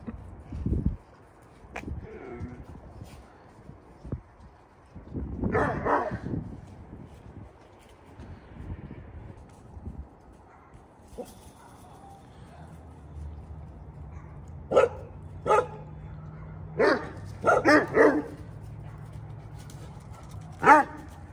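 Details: Vern, a St Bernard rescued from an abandoned house in North St Louis and now ill with bone cancer, calls back and forth with neighbourhood dogs. Deep single barks open, a louder burst follows, and a run of sharp barks closes over a low steady hum.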